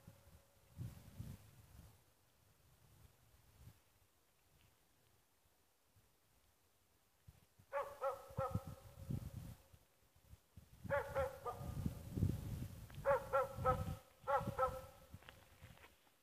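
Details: The dog Ackers Åndorra (Schampoo) amusing herself. After several seconds of quiet rustling, clusters of quick, high harmonic yelps break out in rapid runs, mixed with low thumping movement.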